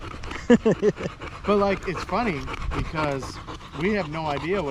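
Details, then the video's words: A Staffordshire Bull Terrier and other male dogs chatting on an evening at the park: a few clipped yips, then wavering, rising-and-falling whiny howls with panting between them. "Long evening at the park male wolf pack chat"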